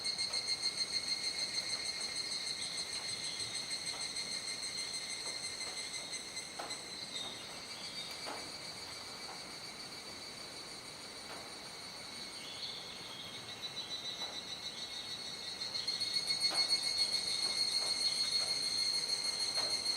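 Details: Cicadas in a mass chorus at dusk, Kuji, Iwate, Japan, July 2017, calls gradually fading as the sky darkens. A sustained high whining drone dips in the middle, then swells again, scattered with faint clicks.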